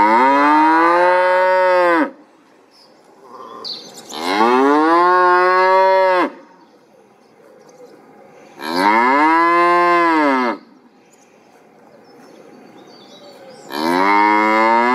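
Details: Cattle lowing: four long, loud moos of about two seconds each, rich in harmonics and arching slightly in pitch, separated by quiet gaps of two to three seconds with faint background hiss.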